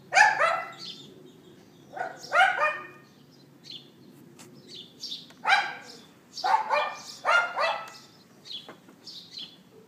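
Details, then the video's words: A neighbour's dog left outside yaps in repeated bursts of two or three sharp barks every couple of seconds, filmed on an iPhone 4S late morning, April 18th 2012; small birds chirp in the background. "Dog Yapping"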